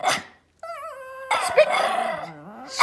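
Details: Three Pomeranian puppies give high, yappy barks and a whiny yip on the "speak" command during trick training, begging for treats.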